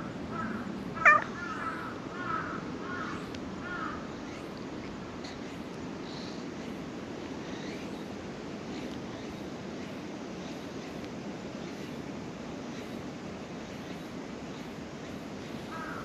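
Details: A black cat that came out from under a shrine's floor to be petted gives a sharp meow and a few softer, drawn-out mews in the first seconds. Quieter outdoor ambience fills the rest.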